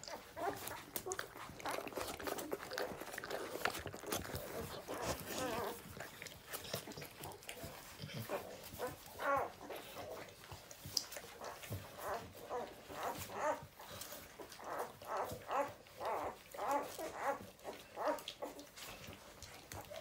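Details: Adorable newborn puppies give a long run of squeaky whimpers and mewing cries, sparse at first, then a quick series of short repeated squeals in the second half, with rustling and soft handling noises.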